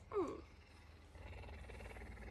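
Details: Tame male puma kept as a pet, especially affectionate in the morning, licking and greeting its owner after missing them; one brief chirp-like call with a bent, sliding tone, followed by quiet rustling and soft handling noise.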